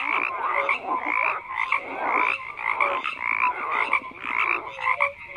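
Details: Frogs croaking in a dense chorus, overlapping rasping croaks layered with brief whistled notes, pulsing in uneven waves about once a second with no other sounds.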